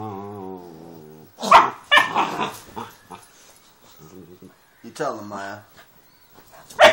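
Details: Two Doberman pinschers at play, one running into the camera: sharp broadband barks and low, harmonic growling rumbles in short bursts, mixed with people talking close by.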